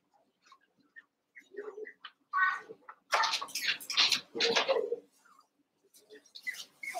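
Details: Cavalier King Charles Spaniel puppies, seven weeks old and eight together, wrestle and play in an indoor pen: scattered short yips, then loud harsh growly bursts and squeals in the middle, more yips near the end over a low steady hum.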